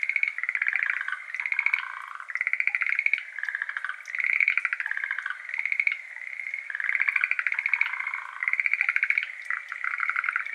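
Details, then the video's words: Schlegel's green tree frogs, endemic to Japan, give soft, rattling trilled calls in repeated bursts at 6:53 pm on 17 May 2022, with water droplets trickling into a flooded iris garden behind them. "水音とシュレーゲルアオガエル 06:53pm（HPLバイノーラル）"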